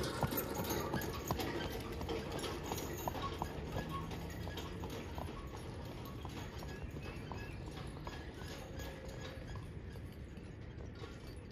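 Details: Friesian horse being driven, its hooves striking a steady clip-clop nearly three times per second over a broad rumbling, rolling background noise throughout.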